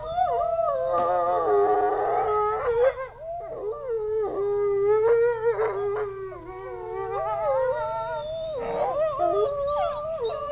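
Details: Group howl from wolves at a zoo after hearing far-off sirens: multiple voices overlap continuously, wavering and bending in pitch, mixed with short yips and breaks between longer drawn-out howls.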